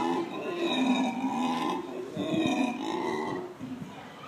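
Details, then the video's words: A family of black howler monkeys at the San Francisco Zoo gives two long, throaty, droning bouts of rough, moaning morning calls. "Black howler monkeys at San Francisco Zoo"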